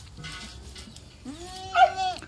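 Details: Baby goat in Okinawa, Japan, among kids raised on artificial milk after their mother refused to nurse: after a quiet rustle, a single bleat rises and then holds with a wavering tone for about a second.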